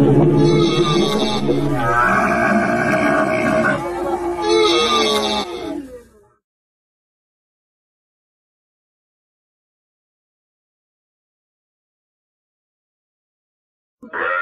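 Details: Camel giving a loud, harmonic groaning bellow for about six seconds, rising and falling with a brief break near four seconds, then silence until a short burst at the end.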